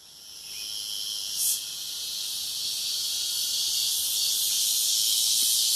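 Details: Cicadas singing in a rural area of Brazil: a steady, dense high-pitched buzzing that builds gradually in loudness, with a brief louder burst near one and a half seconds.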